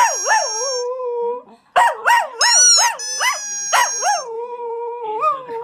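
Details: Dog in the United Kingdom singing along with a squeaky toy, giving quick yodelling howls that bob up and down in pitch, then settle into held notes, mixed with sharp, high, sustained squeaks from the toy.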